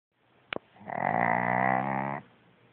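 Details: A pug, awake but snoring emphatically in bed to avoid getting up, gives a single drawn-out, throaty snore with a rough, buzzing tone after a brief click.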